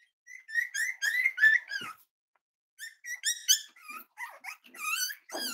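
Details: Six-week-old Cavalier King Charles Spaniel puppies give high, thin whines and squeaks that bend up and down in quick bursts, a short pause near the middle, then a busier run of overlapping squeals and yelps.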